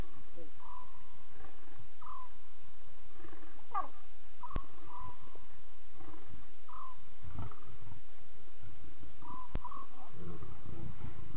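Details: Night-time chatter of lion cubs at 02:40, live safari stream: repeated short flat mews, several in quick succession, one sharper rising squeal, over a grainy hiss and deep intermittent rumbling.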